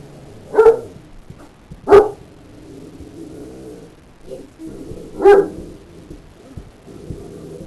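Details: Great Dane angered by a puppy named Snickerdoodle biting its tail, giving three loud, sharp barks spaced irregularly over several seconds, with low growling grumbles in between.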